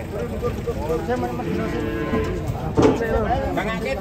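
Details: Big European-class cows leaving a truck, with repeated deep moos layered together and a louder, brighter bellow near the end amid constant background noise.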